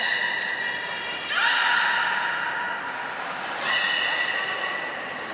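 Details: Beluga named Hodoi during a training session for stomach fluid sampling and blood drawing at Port of Nagoya Public Aquarium, 6 January 2019; two long, steady, pitched calls rich in stacked overtones, the first beginning after about a second, the second near the end.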